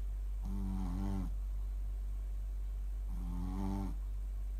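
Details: Mylly the Shih Tzu snoring in sleep: two long, humming, rattly snores close to a second each, spaced roughly two and a half seconds apart, with rich low overtones and faint steady hum between.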